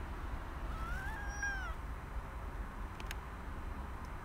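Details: Cat woken from a nap on a walking path gives one drawn-out meow that rises briefly then falls, followed by quiet outdoor background rumble and a couple of faint clicks.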